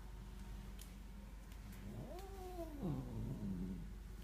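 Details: A female Korat cat growls threateningly at a stray cat creeping into the garden, a deep throaty motorbike-like rumble rising into a wavering, moaning yowl.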